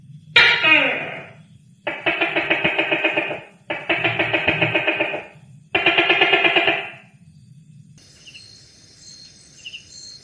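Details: A gecko heard at night gives four long, rasping, pulsed bursts, each throbbing rapidly for about a second before a short pause; a faint high electronic tone follows at the end over a low background hum.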